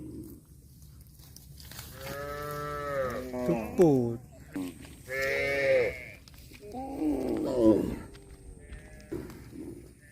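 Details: Cows calling: a string of moos, some long and level, one sharply falling, others rough and wavering, spaced a second or two apart.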